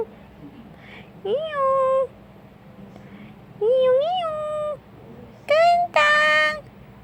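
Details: Black male domestic shorthair Tarzan, one year two months old, adoptable in Petaling Jaya, Malaysia, meows indoors: two rising tonal meows, then a short call followed by a louder, harsher, bright meow.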